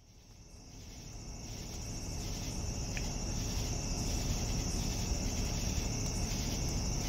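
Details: Evening crickets: a steady, high, shimmering trill fades in over a deep low rumble, with faint pulsed chirping beneath the continuous tone.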